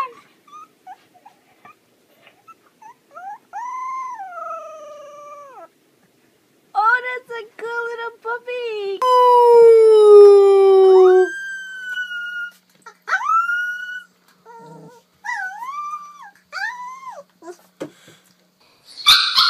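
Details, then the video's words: Young puppies learning to howl give scattered short whines, then steady, level howl notes and one long, loud howl drifting slowly downward, followed by more brief, rising-and-falling howls and a sharp noise at the end. "Puppies Learning to Howl"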